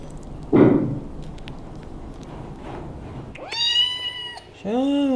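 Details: Domestic cat giving two harmonic meows near the end, the first long and arched, the second shorter and rising, after a loud thump and faint voice-like sounds over steady room noise.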